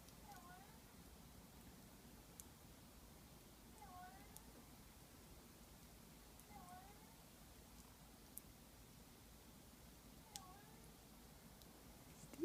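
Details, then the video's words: Pet cat making a weird sound its owners do not understand: short, bent, harmonic meow-like chirps, four of them over about twelve seconds, spaced roughly three seconds apart, with faint clicks in the background. "Our cat makes a weird sound"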